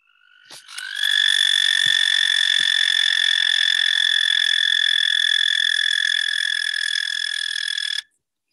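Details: American toad mating call, played back during a talk on courtship: one long, steady, musical trill held for about seven seconds at a constant pitch, starting abruptly and ending cleanly, with a couple of faint clicks.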